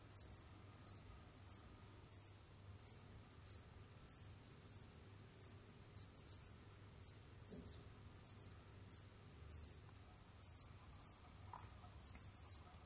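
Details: Pet Jamaican field cricket roaming, digging and hunting, producing a steady series of brief high-pitched chirps roughly every half second, each a tight cluster of pulses, with faint low hum beneath.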